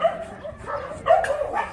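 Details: Shelter dogs at Ulsan Narae-ul Center in Korea, recorded during a volunteer visit: three short, sharp barks in under two seconds, the last pair close together, over a low background murmur.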